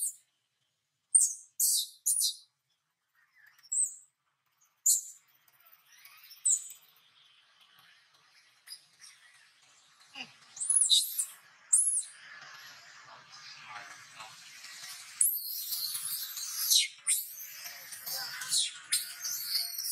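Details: Gabe, a wild baby monkey living around Angkor Wat, cries while its father embraces and comforts it. Sharp, shrill squeals come in short separate bursts at first, then thicken into denser, continuous high-pitched wailing toward the end.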